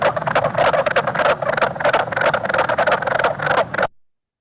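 Mink Frogs calling together: rapid, muffled wooden knocks, about three a second, overlapping like hooves clattering on cobblestone.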